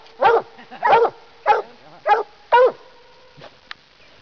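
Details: A Black and Tan Coonhound up in a tree, treeing: five loud, hoarse barks about half a second apart, then a couple of faint quieter notes as it trails off.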